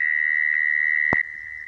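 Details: Mole cricket trill played to lure crickets into traps, a continuous high even-pitched buzz, broken by one sharp knock near the end, after which the trill carries on more quietly.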